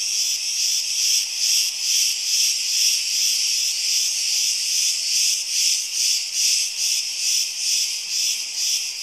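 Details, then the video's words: Crete's cicadas buzzing together in a steady, shrill drone, loudly and regularly throbbing roughly twice per second throughout, with nothing else audible beneath the insect wall of sound. "CICADAS IN CRETE - ΤΖΙΤΖΙΚΙΑ ΣΤΗΝ ΚΡΗΤΗ"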